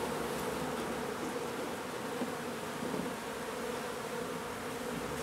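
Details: Honey bees from a nuisance hive being removed and relocated from an old home under renovation in Donna, Texas, give a steady, even drone with a low hum and a brighter overtone, with no breaks.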